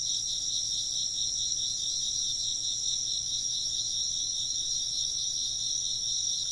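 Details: Chirping insects fill the air with a constant high trill, two shimmering layers beating in a slow wavering rhythm, unbroken from start to finish.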